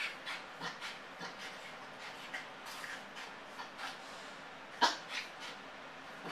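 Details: Male Yorkshire terrier left alone in the house, showing separation anxiety: soft, thin whimpers and short yips, scattered and uneven, with one louder yelp near the end against a quiet room.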